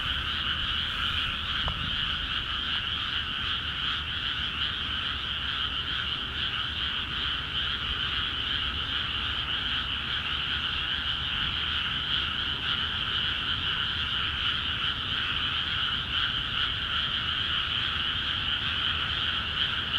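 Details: Many frogs call busily in rice paddies of Akiha Ward that have just been flooded. The chorus is dense and unbroken, with a rapid overlapping croaking in two bright bands, one high and one mid, steady throughout the twenty seconds.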